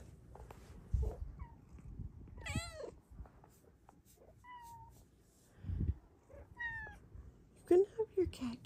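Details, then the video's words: Two house cats in the morning, one meowing loudly for attention and cuddles; about six clear meows, some short and flat, others longer with a falling bend, between soft thumps and low room noise. "Loud meows attract another kitty looking for cuddles!"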